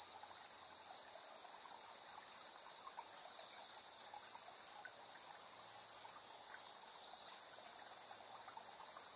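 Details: Chirping insects at 7:04 PM on 3 September 2022, recorded with a portable recorder's internal stereo mics: a continuous high trill, joined by a few brief even higher bursts from another caller near the end.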